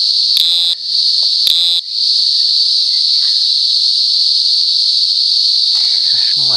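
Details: Cicada calling: a loud, continuous, steady high-pitched buzzing drone that holds unbroken throughout, briefly interrupted by a couple of short clicks and knocks.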